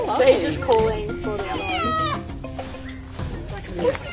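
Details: Free-roaming lemurs on an island at Australia Zoo, Australia, where one animal is calling; they usually call deeply together for a minute or more. A wavering, falling, meow-like wail rises mid-clip between shorter cries, over talking and background music.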